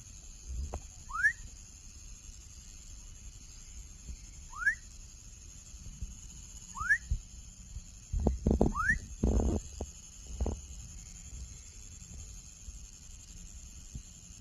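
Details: Baby frog calling with four short rising whistles, each sweeping sharply upward, spaced about two to three seconds apart, over a steady high electronic hum and some low thumping handling noise.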